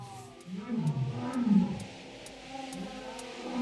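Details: Captive lion at Taigan safari park in Crimea, spring 2021, utters deep, moaning groans that swell and fade over a few seconds, with faint clicks and a soft musical tone in the background.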